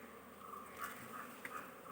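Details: Honey bees buzzing on a bee farm: a thin, steady mid-pitched drone with gentle swells and brief brighter flickers, fairly quiet, with no other clear sounds.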